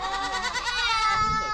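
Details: Goat bleating at a date palm oasis in Saudi Arabia in August heat, with sheep nearby; a single long wavering, nasal bleat with strong stacked harmonics, slightly quavering, lasting over a second amid faint background noise.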